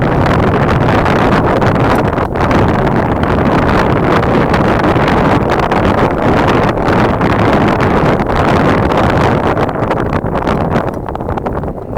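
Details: Steady roaring wind and engine-like rumble fill the recording, with no animal calls standing out.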